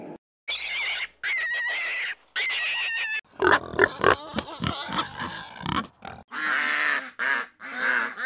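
A pig gives harsh, nasal grunts and shrill squeals in short bursts, a few each second, with brief pauses between runs.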